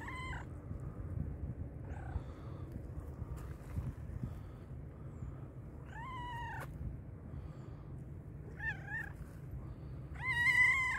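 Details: Black and white cat meowing loudly from hunger: four drawn-out, harmonically rich meows spaced a few seconds apart, the last one rising and louder, over a steady low hum.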